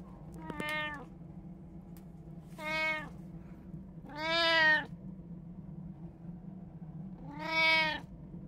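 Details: House cat, one of three sharing a home, filmed 26 October 2023, mewing four times at uneven intervals of one to three seconds. The clear, rich cries swell in the middle. A constant low hum sits in the background.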